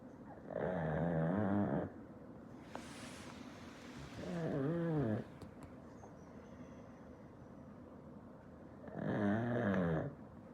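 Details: Pet black pug snoring in its sleep, three separate drawn-out rasping snores spaced a few seconds apart, each wavering slightly in pitch, with a brief soft rustle between the first two and quiet indoor background.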